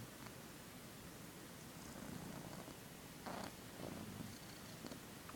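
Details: Pet cat asleep, snoring with a low, steady rumbling drone and soft breathy swells, brief louder rasps near the three- and four-second marks in a quiet room.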